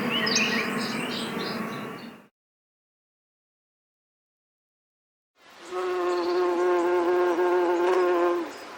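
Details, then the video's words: Bee buzzing in two separate bursts split by about three seconds of silence; the first is rougher with faint high chirps, the second a steady, even hum with clear layered overtones. "Bee Sounds | Bee Humming Sounds, Collective Bee Sound, Bee Wing Flapping Effect Sound, Beehive Sound"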